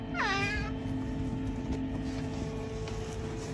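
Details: Curious Oriental Shorthair cat giving one short meow, a bright harmonic call that slides downward within half a second, followed by quiet room background with a faint steady hum.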